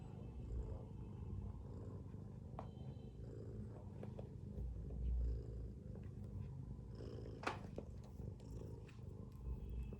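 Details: Domestic cat, a mother asleep beside her kittens, snores in a deep continuous pulsing rumble, swelling slightly midway, with a sharp tick and light rustling near the end.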